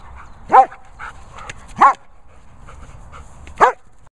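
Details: Lucy the German Shepherd, excited over a boomer ball, gives three loud clear barks spaced over a second apart, against a fairly quiet background.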